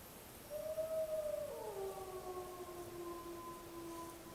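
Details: A single distant wolf howl, a clear tone that rises slightly and holds, then glides down to a lower pitch and trails off steadily, against a faint hiss.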